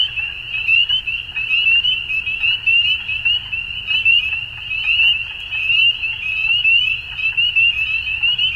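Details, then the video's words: Spring dusk frog chorus from Ontario, Canada, with many high-pitched upslurred peeps packed tightly together into a continuous shrill band, and a soft low background hum. "Frog Sounds At Dusk"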